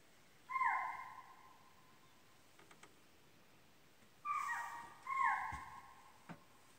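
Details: A deer in Pilibhit Tiger Reserve forest gives three high, drawn-out nasal calls, each holding steady then sliding downward.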